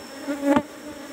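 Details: Asian honey bee (Apis cerana) hum during a honey harvest from a cultivation box. A steady drone swells briefly midway as a sharp click or tap cuts through, then settles back to an even buzz.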